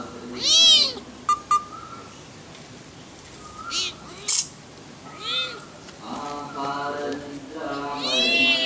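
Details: Leopard cubs giving short, high mewing cries in arched bursts, about five calls spread over nine seconds, some clipped and squeaky, with a faint steady tone running between them.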